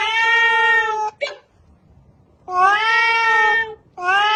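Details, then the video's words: Domestic cat making long, level, even meows with a short clipped sound after the first, then a quiet gap before another sustained meow and the start of a third. "funny cat sound 🤣🤣|meow meow|"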